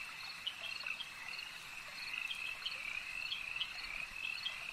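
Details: Frogs calling at a lake form a dense, steady chorus: a continuous high shimmering band with short bright croaks popping out every fraction of a second, no quiet gaps, faint background hiss.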